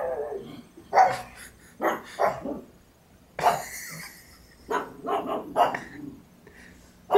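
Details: Pug Monkey, female, barks with a toy held in her mouth, thinking someone is at the door: muffled, gruff barks in short bursts, some doubled, spaced a second or two apart.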